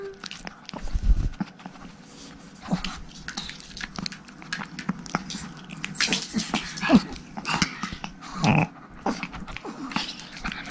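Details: Three miniature Pomeranian puppy sisters, Erika, Haengun and Sarang, playing rough indoors. Low rumbling growls alternate with thin whimpers and quick yaps, over scrabbling paws and knocking sounds. Occasional human voices are in the background.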